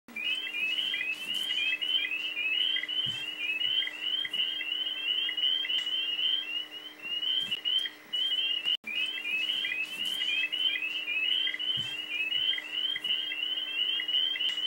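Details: A dense spring chorus of spring peepers (Pseudacris crucifer) in Missouri, many high, sharp rising peeps overlapping without pause; these small frogs call from late February to mid-May at the start of the breeding season.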